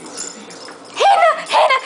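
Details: Shih Tzu, a certified therapy dog, whose treats are always stolen by another dog: after a quiet start, two loud high whining yelps, each about half a second, rising then wavering, with a person speaking to the dogs nearby.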